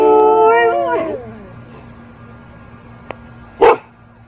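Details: A German Shepherd howls at sirens alongside other dogs, giving a short, tonal howl that slides downward, then a single gruff bark.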